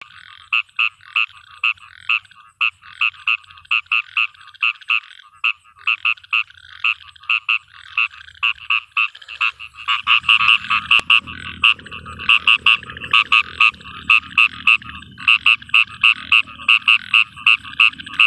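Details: Frog calling in a field at night in rain, giving short bright croaks in quick irregular bursts throughout; about halfway through a low rushing patter, likely rain, rises beneath the calls.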